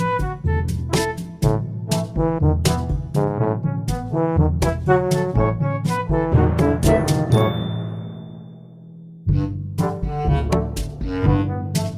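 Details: Brass instruments play a lively tune with strong low notes and no animal voice. Trombone and trumpet tones carry the melody in short punchy phrases, with a brief held chord near the end.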